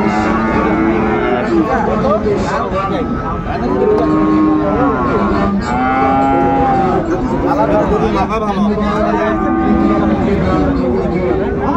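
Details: Cross-breed bull calves of about four to five months at the Raniganj market in Dinajpur, Bangladesh, 2 January 2025; repeated drawn-out moos and bellows sound throughout, several calves calling over one another beneath steady crowd noise.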